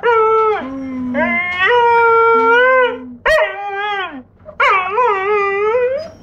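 A Giant Schnauzer puppy howls in long, wavering tones that slide down into low, whining notes.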